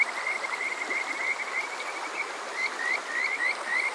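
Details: Summer-night Kajika frogs in Yokoze, Chichibu, Saitama, Japan, taken on a TASCAM DR-05X: soft trilling at first, then clear rising whistled notes in a quickening series, over the hiss of a stream.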